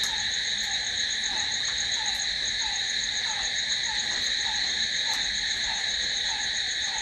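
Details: Continuous shrill cricket chorus after dark, steady and high with several layered bands, plus a soft lower note repeating irregularly and a couple of brief faint clicks.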